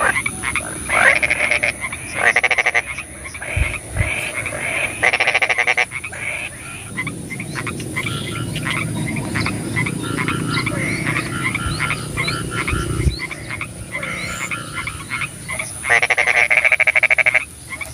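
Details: Frogs calling at night in the rain: bursts of rapid, pulsed croaks overlap in a dense chorus, loudest near the start and end, with a steady high-pitched hum and low rumbling beneath.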